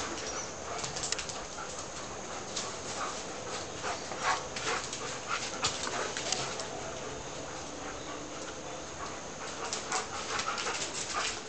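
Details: Two Alaskan Malamutes, Twilight and Bourbon, play fighting in a backyard after Bourbon stole a piece of carrot from Twilight; harsh, broadband grumbling bursts and short yips come at irregular intervals, mixed with scuffling noises.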